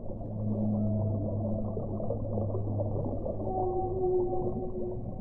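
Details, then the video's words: Sustained whale moans: low droning tones hold steady over a constant muffled rumble, and a higher, slightly wavering tone enters in the last two seconds. "1 ora di suono delle balene"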